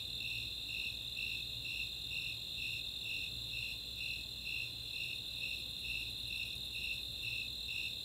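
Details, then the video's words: Snowy Tree Crickets and Four-spotted Tree Crickets in a summer night chorus in the Chautauqua open space, Boulder, Colorado: high pulsed chirps repeating about twice a second over a steady, higher continuous trill. "Nighttime crickets"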